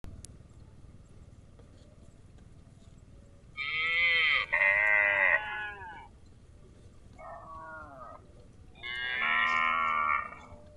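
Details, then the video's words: Grazing cows giving several harmonic, drawn-out moos, each lasting one to two seconds, with a short pause between the first pair and a later, quieter, shorter call before a final loud bellow. "Cute and Funny Cow sound"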